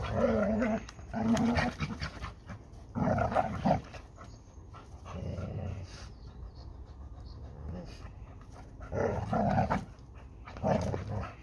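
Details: Labrador Retriever playing at fighting over a ball with a Hungarian Vizsla, Málna and Ede. Rough growling bursts and panting come at irregular intervals, separated by quieter breathing and shuffling.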